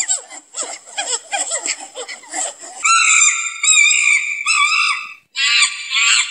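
A monkey chatters rapidly, then gives long, shrill, piercing screams.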